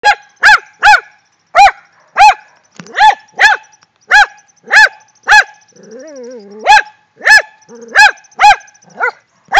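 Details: Two Rat Terriers excited after finding a shrew, barking in sharp, high, repeated yaps, about a dozen rapid barks with brief whining yelps between bursts.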